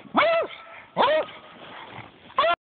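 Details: A beagle that dislikes remote-control cars barks at an RC truck in 4 inches of snow, giving three loud, harmonic barks that rise then fall in pitch, with brief pauses between them.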